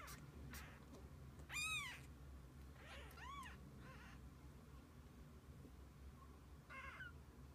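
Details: Mother cat and kittens together through the day: a loud arched meow, then a run of softer rising-falling mews close together, and one more faint call near the end, over a low hum.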